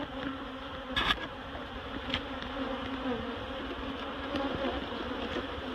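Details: Dense, even buzzing of a honeybee colony being moved from a barrel into a new hive at Miss Bee Haven, a rich multi-toned hum with a brief rustling crackle early and soft knocks.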